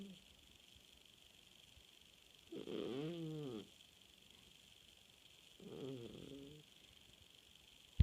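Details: Pet cat asleep at night, snoring in two slow low rasping breaths about three seconds apart, each a buzzy harmonic rumble, with a steady background hum and a click at the end.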